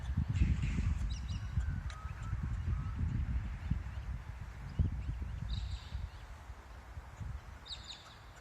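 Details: Kangaroo calling, probably in courtship: rapid low, soft clucking pulses, roughly three or more per second, fading toward the end, with a few brief high bird chirps above.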